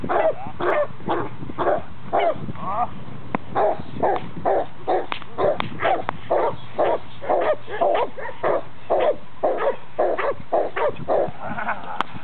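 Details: Boxer dog in protection training, working with a decoy in a bite sleeve for the first time; a long run of loud, harsh barks, about two per second, some rough and growly, continuing without pause.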